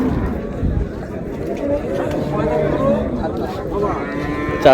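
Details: At Raniganj market, Dinajpur, improved-breed milk cows and calves low faintly in the middle stretch, mixed into a dense wash of people talking and general market din.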